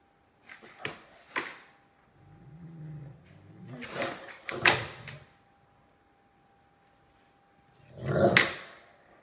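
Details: Two Great Danes, Mikey and Ellie, indoors and squabbling over who gets to play with a bone: a low rumbling growl in the middle, flanked by short sharp vocal bursts and a loud final outburst.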